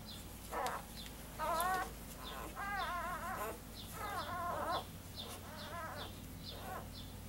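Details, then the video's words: Newborn Basset Hound puppies only a few hours old, from a litter of six females and two males born May 25, 2015, squeal in short wavering harmonic bursts while nursing, with faint high ticking repeated throughout. "Baby Basset Hounds nursing."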